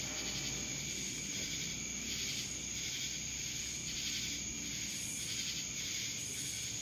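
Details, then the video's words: Cicadas from Dallas, Georgia: a steady, unbroken high buzzing chorus with a faint pulsing shimmer running underneath, no other clear sounds. "Cicadas Black Screen Sounds"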